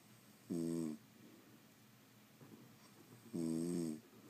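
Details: French Bulldogs asleep at home, giving two strong buzzing snores roughly three seconds apart, with soft breathing between them in a quiet room.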